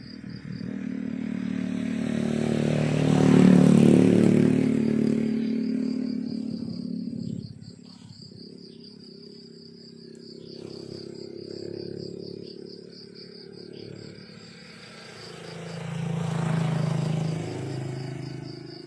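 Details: Cricket chirping in the countryside in the morning: a thin, high, rapidly pulsed chirp train repeating steadily, nearly four pulses a second, while vehicles rumble loudly past at the start and end.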